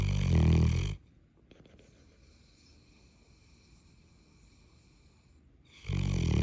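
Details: Very loud snoring from Callie the Neapolitan Mastiff: a heavy, guttural inhaled rumble, then roughly five seconds of near silence before another deep, droning snore begins.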